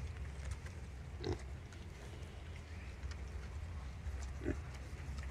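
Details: Wild boar mother suckling her young piglets; two brief low grunts roughly three seconds apart, separated by quieter snuffling and faint ticks above a steady low drone.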